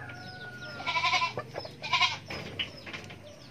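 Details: Young goat kid giving two short, harmonic bleats about a second apart, with a quieter bleat-like sound after them, over steady low farmyard hum and faint bird chirps.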